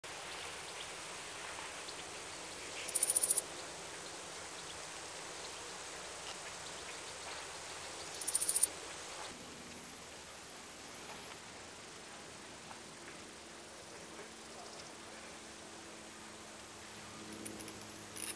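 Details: A short-winged conehead (Conocephalus dorsalis) sings a thin, very high, hissing buzz running on almost without a break; Hirschau, Germany, 27 July 2019; noise removal applied.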